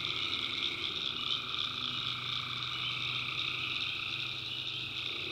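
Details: Tree frogs calling at night in a swamp in the backwoods of North Carolina: a dense, unbroken chorus of overlapping high trills in several pitch bands, with a faint low steady hum underneath.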